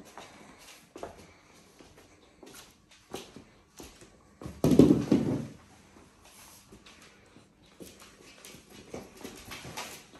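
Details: A Cane Corso, possibly a puppy, playing indoors gives a single deep, rough bark amid soft thumps and footsteps.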